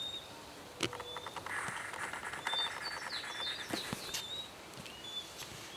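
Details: Common marmoset, the white-tufted marmoset, at Salgadália in Bahia: thin, high whistles and a rapid series of short descending chirps, with scattered sharp clicks and rustling and a harsher buzzy burst in the middle.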